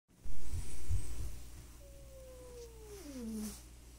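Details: Stray rural cats in a fight, third round of a running feud between two cats: a few low thumps, then a quiet tonal growl sliding steadily downward and ending low.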